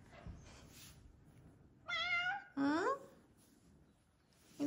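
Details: Bengal cat meowing indoors as her owner leaves for work in the morning, wanting to go out too; two clear meows, the first high and level, the second sliding upward, with quiet speech before and after.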